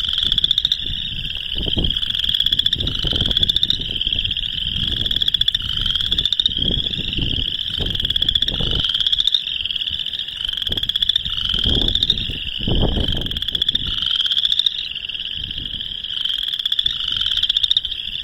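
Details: Boreal chorus frogs giving mating calls in March 2021 in Northern Illinois; a dense chorus of rapid, rattling trills that rise in pitch, repeating about every second and overlapping continuously, with some low rumbling underneath.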